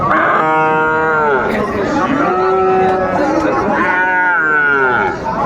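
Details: Holstein Friesian and crossbred bull calves at Raniganj cattle market, Dinajpur, 18 April 2024: two drawn-out moos, each opening high then sliding down, separated by a lower steady bellow, with traders bargaining in the background.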